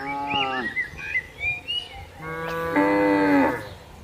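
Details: Tame cattle grazing on green pasture in the countryside; a short moo, a pause filled with bird chirps, then a longer, louder moo of under a second.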